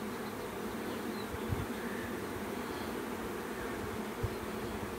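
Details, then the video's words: Swarm of bees producing a steady, dense droning buzz that holds unbroken from start to finish, a low continuous hum with a couple of soft low thumps near the middle and end. "BEE SWARM"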